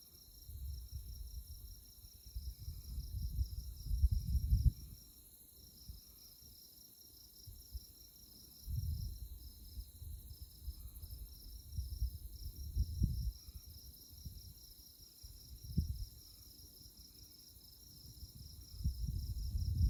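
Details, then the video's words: Chirping insects at night on Konza Prairie, Kansas tallgrass, by moonlight; a high, rhythmic pulsing trill continues steadily while low wind rumble swells and fades in gusts. "Insect Chirping Sounds"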